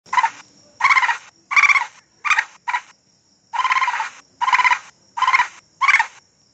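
A raccoon gives a series of harsh, quavering chitters in short bursts, about one every second.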